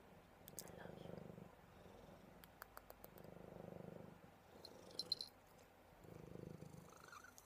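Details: Soft purr of Buddy, a cuddly house cat: low rumbling in three clear bouts, each lasting over a second with quiet pauses between, plus scattered faint clicks.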